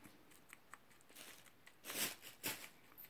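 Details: Chewy, an alpaca guinea pig, munching his way through cucumber peel indoors: soft crisp crunching bites scattered through, with two louder broadband crunches close together near the end.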